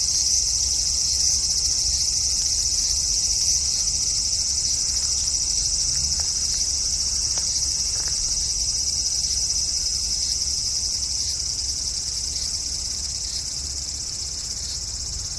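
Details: Cicada singing from a cherry tree in a front garden on a hot early-August evening in 2012: a dense, unbroken high-pitched drone that holds steady throughout, fading slightly toward the end.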